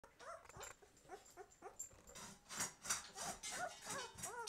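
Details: Twelve-day-old White Swiss Shepherd puppies, opening their eyes, give short arched whimpers, soft at first and then louder and more crowded, with broadband rustling bursts toward the end.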